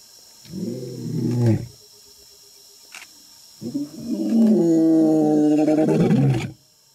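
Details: Male African lion roaring in the African jungle before an attack: a short, deep, moaning roar followed after a pause of about two seconds by a longer, drawn-out harmonic roar of nearly three seconds.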